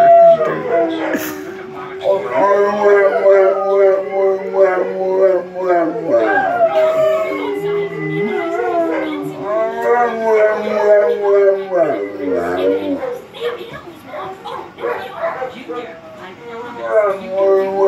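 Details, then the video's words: Two female Cane Corsos plus another dog howling together at home, triggered by sirens; long overlapping howls with a low sustained bass voice and wavering higher tones, fading toward the end into quieter broken sounds. "Funny Dogs howling- Cane Corso Sings Bass"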